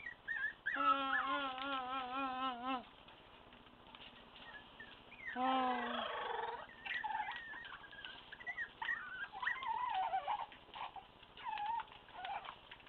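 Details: A month-old litter of Staffordshire Bull Terrier puppies, two males and three females, whine and squeal in drawn-out, wavering cries, with several voices overlapping.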